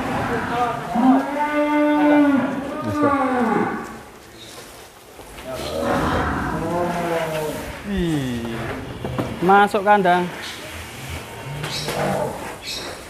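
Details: Real Douglass, an Angus animal presented as Indonesia's biggest cattle, gives a long steady moo lasting over two seconds, followed by rougher, wavering lows and a brief strained call later on.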